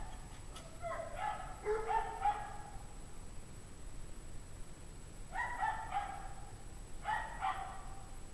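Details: Faint, far-off barking from a pack of dogs at 5:00 PM on January 9, 2009, 17 degrees Fahrenheit: a run of quick, yelping barks, silence, then two more separate bark clusters.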